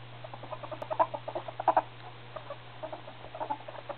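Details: Male ferrets (hobs) reaching puberty, giving rapid soft clucking chatter in irregular bursts of short pulses, louder around the first two seconds, over a steady low electrical hum.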